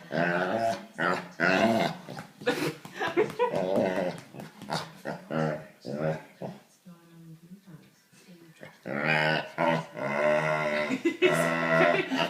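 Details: Labrador Retriever playing with a puppy gives strange, voiced, drawn-out moans and grumbling growls that rise and fall in uneven bursts; a person speaks briefly nearby.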